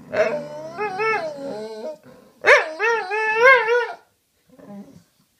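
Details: Dogs talking to each other: long, wavering whining howls that rise and fall in pitch, two drawn-out phrases of about two seconds each, followed by a faint, short whimper.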